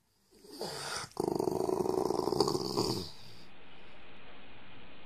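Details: A dog growls in a rough, rapidly pulsed rumble lasting about two seconds after a brief opening burst, then falls away to a steady background hiss.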